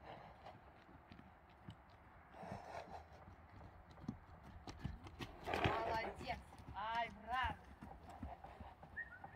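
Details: Akhal-Teke horse giving a short quavering whinny near the end, preceded by irregular hoof clip-clops and people talking nearby.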